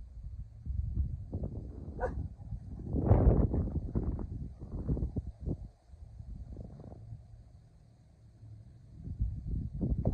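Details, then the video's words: Kumo, a male Keeshond, barks outdoors at the neighbours in watch dog mode after chasing a squirrel: a string of low, rough, irregular barks, loudest around the middle, with some outdoor background noise. "Fluffy Keeshond Chases Squirrel Then Goes Into Watch Dog Mode!"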